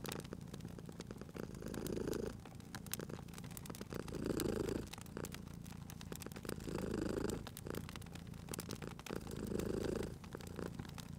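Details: Sleeping cat purring beside a crackling fireplace: a steady low rumble swelling and easing in slow breath cycles about every two and a half seconds, with sharp pops and snaps of burning wood throughout.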